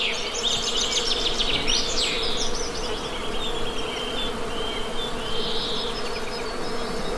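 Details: Honey bees humming in a steady, droning buzz with a low, constant tone, while birds chirp and trill brightly above it in quick, repeated bursts through the first seconds and again near the end.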